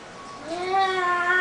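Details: Pet cat protesting as its owner sings Silent Night in an Edith Bunker style: one drawn-out meow that rises, then holds a steady tone with bright harmonics, after the singer's spoken apology.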